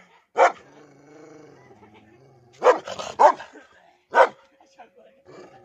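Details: Dog aggressive towards its owner gives scattered loud barks, with a low drawn-out whine or voice between them and faint background sounds.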